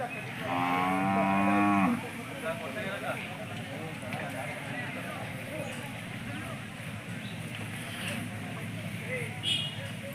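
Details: Hallikar cattle at a big cattle fair in Turuvekere taluk, Jodugatte market. A single strong, even-pitched low moo of about one and a half seconds opens the recording, followed by steady crowd chatter and voices.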